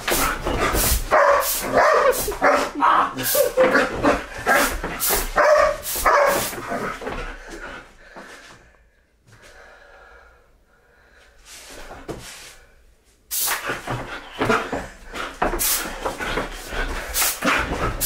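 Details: Pet Belgian Malinois barking while playing with blasts of compressed air; dense runs of rough barks and yelps tangled with hissing spray in the first seconds, then a near-silent stretch before barking and air bursts resume.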